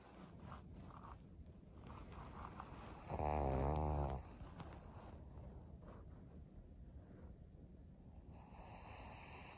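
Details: Senior female fawn pug Maria, 13 years old, in Japan during September 2023; soft rumbling breaths broken by one loud, buzzy, vibrating snort about a second long, then quieter snuffling.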